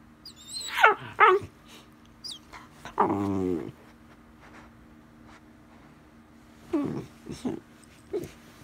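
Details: A 74-day-old male Weimaraner puppy barking as an alarm clock for no apparent reason gives a few loud, high yelping barks with a rough, growly bark between them.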